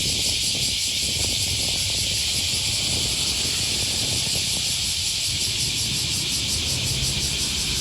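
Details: Along the Okawa River near Sakuranomiya Park in Osaka, Japan, cicadas drone on the first Thursday morning of August 2020, a continuous shrill sizzling wash without pauses, with soft low-pitched thuds of walking and distant traffic underneath.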